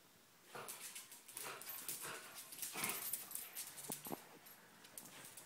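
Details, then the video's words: Binks and Shorts, two dogs play-wrestling and chasing; one wants to play. Repeated harsh, noisy yips and huffs come in quick bursts, mixed with scuffling and thumps, ending with a couple of sharp clicks. "Binks and Shorts Wrastlin!"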